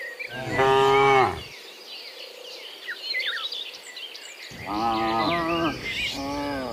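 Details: Dozens of cows returning from the fields to their pen in the afternoon moo in long, deep, harmonic calls one after another, with faint bird chirps between them.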